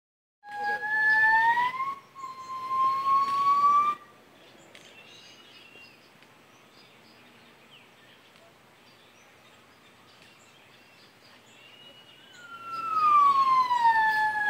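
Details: Two gibbons calling to each other at San Diego Zoo; loud, pure whooping notes slide upward, then a later falling glide; gibbon.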